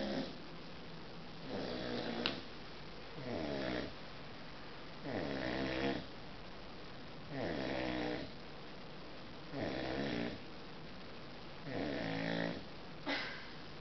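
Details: Juliette, a 7-month-old American Bulldog puppy, sleeps after an energetic walk and snores: rasping, breathy bursts come about every two seconds, each with a rough rising and falling texture, against a quiet indoor background.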